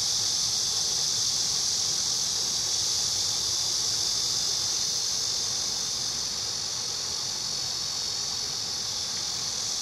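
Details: Cicada song recorded in Korea: a steady, unbroken high buzzing hiss held at the same level throughout, with no pauses and no other clear sounds.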